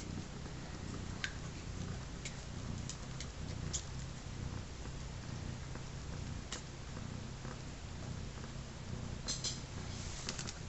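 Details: Deep, even purring from a three-legged mother cat named Sugar nursing her day-old litter of three kittens; the soft rumble runs unbroken, with scattered sharp ticks and rustles above it.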